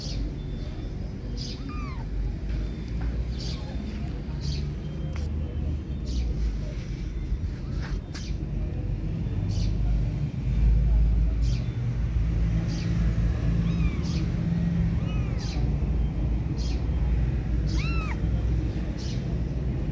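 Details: Kittens left without their mother give thin, high, rising-then-falling meows at scattered moments, several in quick succession near the end, over a constant low rumble and sharp clicking ticks.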